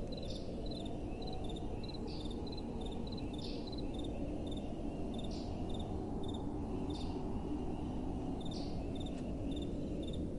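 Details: High, regular cricket chirps at night, with occasional brief louder bursts among them, over a low, continuous wind.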